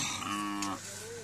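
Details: Domestic cow on a farm near the Bangladesh-India border, one short, harmonic, steady moo of under a second, followed by a brief rising tone, in a small enclosed space with people talking nearby.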